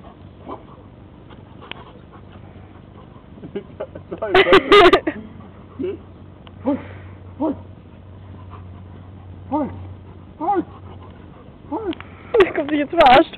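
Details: German Shepherd named Ares at play, giving short arching whimpers and yelps in scattered bursts, with louder harsh outbursts near the middle and end, over a low steady hum.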